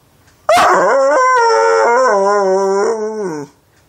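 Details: A dog 'talking' in one drawn-out, howl-like moan of about three seconds. It starts high, steps down in pitch, then holds steady before stopping abruptly. The background is quiet.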